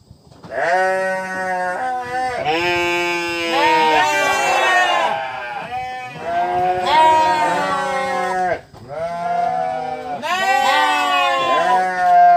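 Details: Long, nasal sheep bleats follow one another almost continuously over twelve seconds, with pitch wobbles throughout and only two brief dips in loudness.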